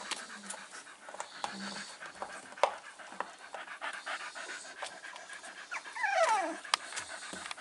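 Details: Staffordshire Bull Terrier Stella, with five-week-old puppies nearby, pants heavily while tired on 27 September 2020: rapid, steady breathy huffs with a brief high whine near the end and a little soft talk.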